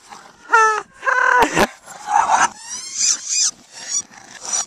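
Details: Boston Terriers in a playful chase, two of them together; short harmonic bark-like yips followed by a louder rough burst, then rising squeaky whines and repeated huffing sounds.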